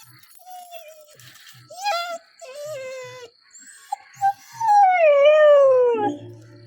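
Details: Nine-month-old pet dog in India crying because its father left without it: short whimpers and yelps, then a long wavering howl that slides downward, with a woman talking and soft music in the background.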